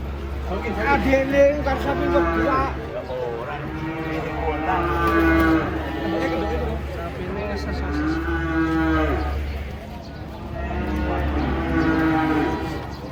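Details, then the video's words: Several cattle being unloaded from a truck moo in long harmonic, slightly wavering calls that overlap one another, each lasting one to three seconds, over a steady low engine rumble. "KUMPULAN SAPI LUCU TURUN DARI TRUK"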